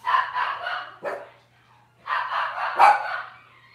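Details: Cavalier King Charles Spaniel puppies from Robin's litter on a morning kitchen livestream. Two drawn-out, high yelping whines, each about a second long, split by a short sharp yip. A steady low electrical hum runs underneath.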